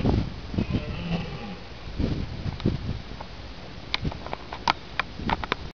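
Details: A dominant red deer stag at Killarney, Ireland, on 13 October 2011 gives deep, rough, groaning bellows at full voice during the rut, holding his harem of hinds and warning other stags that the herd is his.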